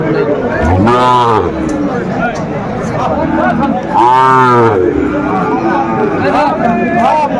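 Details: Sahiwal bulls at a cattle market near Dhaka, Bangladesh, in December: two loud, drawn-out moos with rich stacked harmonics, each about a second long, over constant crowd chatter and men talking about prices.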